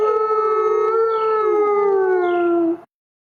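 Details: A white wolf gives a long, steady howl against a forest backdrop, holding a mid pitch and dropping slightly before ending abruptly.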